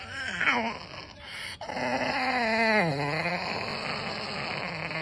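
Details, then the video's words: Pet dog screeching to ask for treats indoors, a strange, strained harmonic cry with rapid tremolo, rising and falling in long wavering sweeps that bend downward before trailing into a lower steady moan. "Dog sounds possessed when asking for treats"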